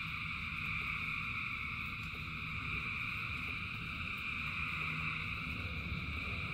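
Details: Rain-soaked frog chorus, many frogs producing a constant buzzing trill at a few bright pitches, level and unbroken throughout, mixed with broad rain hiss and low rumbling background.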